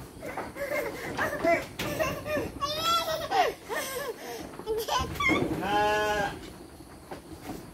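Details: Sheep fed dry fodder as children help; one strong tremulous bleat near the end rises above busy chatter of adults and children, with shorter animal cries earlier.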